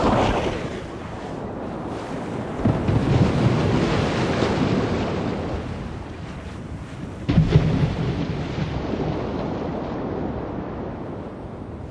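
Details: Roaring broadband rumble like thunder, rain and wind buffeting, with a sharp loud burst around seven seconds and no animal voices.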